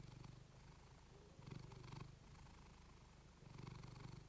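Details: Quiet, deep purring from a female cat recorded with a fluffy microphone, a fast vibrating throb that strengthens in two breathing swells and eases between them.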